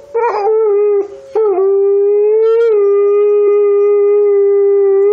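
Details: Grey wolf from Montana: a few short broken yelps at the start lead into one long, smooth, level howl that rises gently then holds steady for several seconds.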